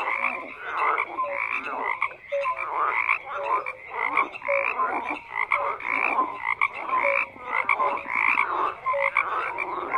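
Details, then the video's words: Frogs croaking together in a dense chorus, overlapping rasping croaks with short tonal notes, pulsing continuously without pause; no other sounds stand out. "FROGS CROAKING"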